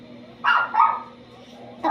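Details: Pet dog making noise, two short harsh barks in quick succession, then a quieter pause and the start of another bark at the end.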